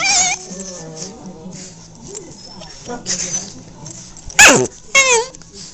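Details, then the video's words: Playing puppies make weird sounds while rassling around: a long whining whimper that slides downward, then quieter squeaks, and two sharp loud yelps near the end. "Puppies playing and making weird sounds"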